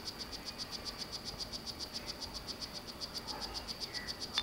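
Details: Captive male strawberry poison-dart frog of the Solarte morph courting a female: a steady series of short, high chirps at about four per second, with a faint hiss behind and a sharp click near the end.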